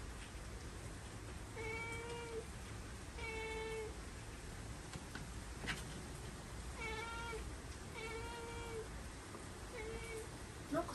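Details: Cat indoors in an old Japanese house as Typhoon No. 10 strikes, meowing repeatedly: about six drawn-out, even meows every second or two, half masked by constant rain and wind noise, with a few knocks.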